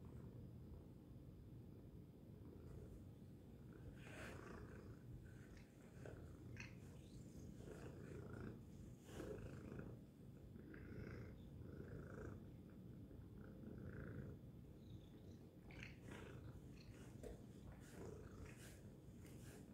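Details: Tacy, a domestic cat, purring loudly: a continuous low rumbling drone with steady pulsing texture throughout, faint scattered higher rustles above it.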